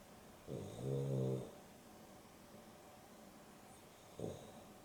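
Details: Sleeping dog Dexter, napping in the afternoon with Rio (Boston Terrier and Beagle cross), gives one long, buzzy, rattling snore lasting about a second, then a brief quiet snort a few seconds later, over faint indoor hum.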